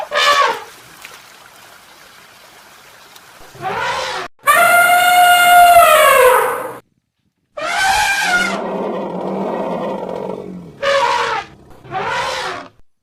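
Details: Elephant trumpeting: several brassy, harmonic-rich blasts, including a long, sustained trumpet of about two seconds, with shorter bursts before and after and quiet gaps between.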